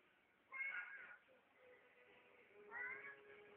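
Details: Domestic cat meowing: two short, bright, slightly rising meows about two seconds apart, with a faint steady tone and soft background hum between them.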